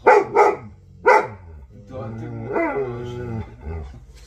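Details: Alabai named Vasya (Central Asian Shepherd Dog) 'talks': three heavy barks followed by a long, low, wavering grumble rising and falling like speech.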